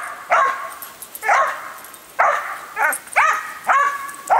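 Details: A usually quiet female dog worked up by the hose sprayer while her owners water: repeated shrill barks about once a second, some doubled, over continuous water spray hiss.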